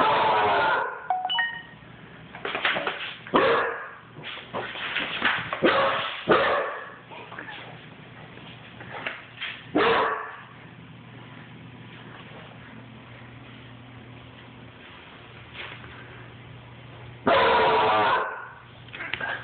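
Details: Basset hound puppy running and barking: a flurry of hoarse barks in the first ten seconds, a long quiet stretch with low hum, then one loud drawn-out bay and a final short bark.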